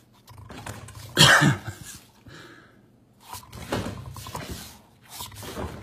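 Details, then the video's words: Walter the bulldog at play with a ball indoors, letting out one loud, harsh, rasping growl-like burst followed by several softer, rough grunting bursts spread through the rest of the moment. "Walter the bulldog playing ball or is it hungry hippo?"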